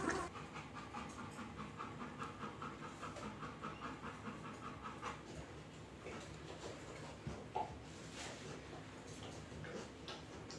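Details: American Bully XL female panting heavily while giving birth naturally indoors, a merle male puppy just born and being licked clean; steady rhythmic breathy pants with faint squeaks and a person talking in Spanish nearby.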